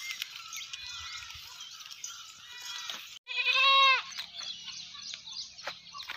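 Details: A Sirohi Barbari goat on a farm lets out one loud, wavering, nasal bleat lasting under a second. Quieter chatter and scattered farmyard noise sit underneath.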